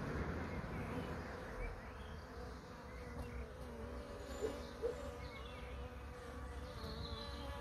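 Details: Low, even buzzing of bees with a wavering tone near the middle register and a couple of brief louder hums, plus faint distant chirps.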